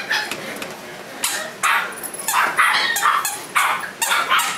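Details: Shiba Inu puppies give short, high, sharp yips and barks in quick irregular bursts.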